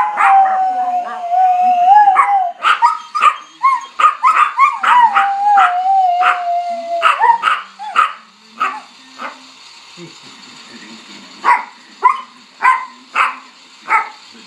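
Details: A household dog howls at a fire truck siren. Crowded yelping bursts come first over a falling siren tone, then the cries thin out into spaced, separate yelps as the siren fades.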